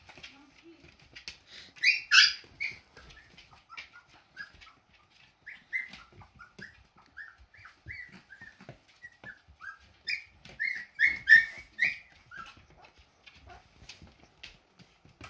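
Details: Walking Siberian Husky puppies, hungry and trailing their mother for milk, keep up thin, high squeaks and whines in quick irregular runs, loudest in bursts near the start and again toward the end, over faint rustling.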